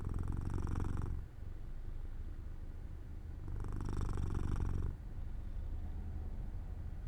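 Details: Drowsy purr from pet cat Jojo falling asleep in the sun by an open window: low steady rumble with two louder, rasping phases about three and a half seconds apart.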